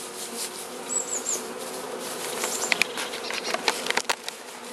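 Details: Carniolan honey bee colony in a hive being fed by the Mountain Camp method, southern Finland, 16 March 2017, +3 C outside, queen present; steady low hive hum with scattered clicks and rustles, brief high bird chirps near one second.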